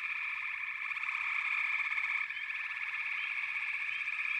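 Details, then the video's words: Frog chorus of many callers forming a dense, continuous pulsing trill in a steady high band, with faint higher chirps layered above; the chorus drops in intensity briefly after about two seconds, then carries on unbroken. "Frog Chorus"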